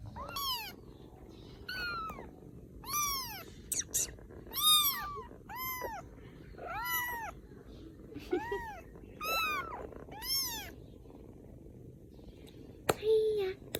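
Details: Rescued baby kittens in Vietnam, getting ready to sleep, cry with a steady run of thin, piercing mews. Each mew swoops up and down, roughly one a second, with a faint click near the end.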